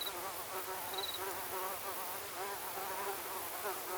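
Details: Several mosquitoes buzzing at once in a cacophony, a continuous, thin, wavering whine with overlapping tones sliding up and down, plus a brief faint high tick and background hiss.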